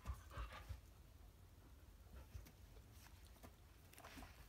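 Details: Belgian Shepherd named Eski, eager for a Maine Coon kitten named Pie to play, panting softly and quickly at about three breaths per second, low and breathy, with a few faint clicks and thumps nearby.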